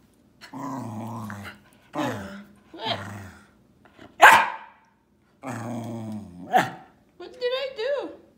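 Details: Griff, a pet Welsh Terrier, indoors near feeding time, gives a series of drawn-out, growly, moaning vocalizations in separate bursts of about a second, with a sharp higher yelp midway and a person's voice speaking between them.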